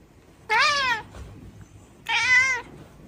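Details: Pet cat meowing twice, each call about half a second long, clear and harmonic with a slight rise then fall, the pair separated by about a second and a half of quiet indoor room tone.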